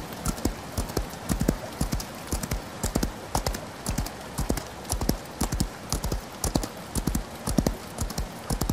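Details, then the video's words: Horse galloping through rain: evenly paced groups of heavy hoof thuds repeat across the stretch, with continuous hissing rain and scattered drips above. "Horse Galloping In The Rain"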